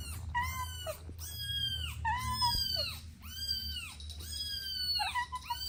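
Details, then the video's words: A mother cat with kittens at play: a run of clear, arched meows, about one each second, each bending down at the end, over a low background hum. "Sweet Kittens Playing Together | Soft Meows"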